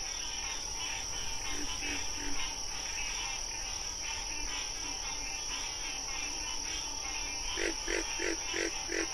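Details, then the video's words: Wild frogs calling in a dense night chorus: short pulsed croaks repeated in quick bursts, growing loud and regular near the end, over a constant high shrill insect drone and a busy layered background. "Frog Sounds"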